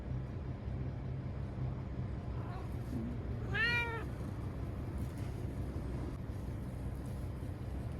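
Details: Timid ear-tipped TNR cat Chanta, sheltered indoors in a bathroom from Typhoon No. 10 in September 2020, gives one clear, drawn-out meow with a falling tone, preceded by fainter short mews, over steady low background hum.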